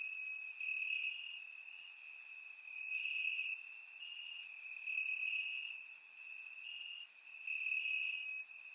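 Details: Warm summer night in Bulgaria with crickets chirping in grass, surround microphone recording; a constant high buzzing trill underlies quick, faint upper chirps scattered throughout.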